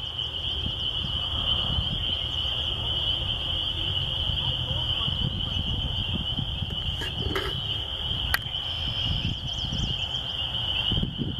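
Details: Countryside spring peeper chorus by a church, a continuous shrill high drone of many calling frogs, with a few sharp clicks and a steady low rumble below.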